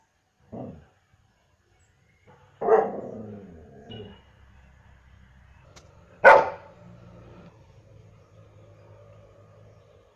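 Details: German Shepherd dog sounding off with uneven barks: a quick yap, a loud bark fading into a growly tail, a softer bark, then one sharp loud bark and a soft ongoing low rumble.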